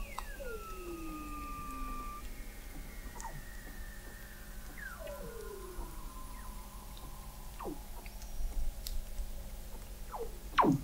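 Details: Under sea ice in McMurdo Sound, Antarctica, Weddell seals in November 2017, captured by an observatory 21 m below the ice: several overlapping slow descending whistles, each falling steadily over seconds, plus brief downward sweeps and a sharp sweep at the end.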